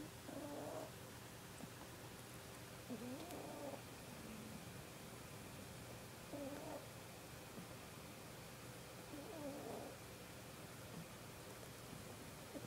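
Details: Sleeping kitten snoring softly; faint breathy snores roughly every three seconds over a low steady hum.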